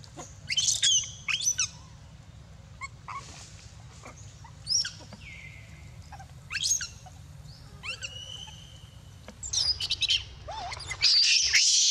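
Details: Baby monkey Dito crying over no milk and biting Anya, giving shrill high screams in short bursts with quieter squeaks between, the loudest outburst at the end; a low steady hum underneath.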